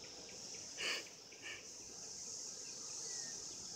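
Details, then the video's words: Steady shrill humming from mating cicadas, recorded in 2016, swells slightly toward the end, with one louder raspy burst early on and a softer one shortly after. "Cicadas 2016 mating"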